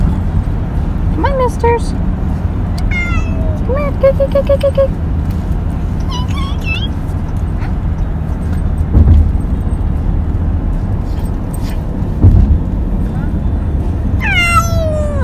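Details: Male pet cat riding in a car for his first time since kittenhood, giving a series of drawn-out meows, some rising then falling, others short and wavering, over a steady low engine rumble with people talking.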